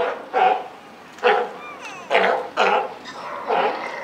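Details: At Higashiyama Zoo, a California sea lion mother and her just-born pup, June 28, 2023: loud raspy bark-like calls in five bursts roughly every second, with a faint wavering higher tone between.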